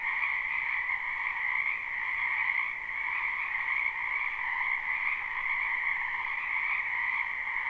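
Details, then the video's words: Many frogs calling in a spring wetland behind a house, live recording without looping: a dense, unbroken chorus of overlapping croaks forming a steady two-toned drone, with no other sounds standing out. "Ambient Noise for Sleep Frogs"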